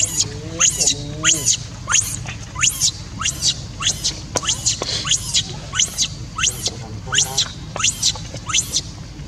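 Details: A newborn baby macaque calls for its mother with shrill, falling squeaks repeated in quick succession.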